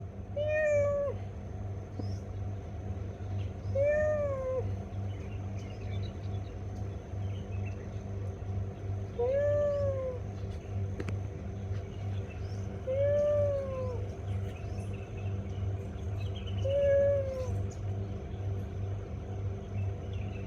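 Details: Cat meowing five times at roughly four-second intervals, each meow a clear rising-then-falling tone, over a steady low hum and a faint high whine.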